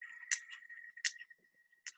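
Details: Sperm whale (Physeter macrocephalus) echolocation clicks: sharp broadband pulses spaced widely apart while orienting and searching for prey; the gap between clicks shortens as it closes on prey.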